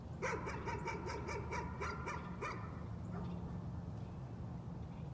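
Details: Dog barking as a nuisance, roughly ten quick barks packed into about two and a half seconds, then fading out, with a persistent low drone underneath.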